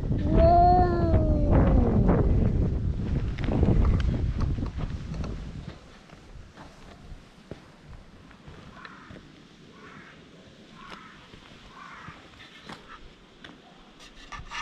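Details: Stray community cats quarrelling vocally when another cat arrives, filmed with a GoPro HERO8: long, wavering, harmonic yowls rise and fall over the first two seconds with a low moaning growl beneath, then fade into quiet rustling and faint background sounds.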